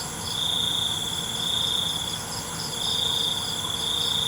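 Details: Cricket chorus at night, a steady high trill with a pause near the middle, backed by layered constant high insect drones and faint rhythmic pulsing above.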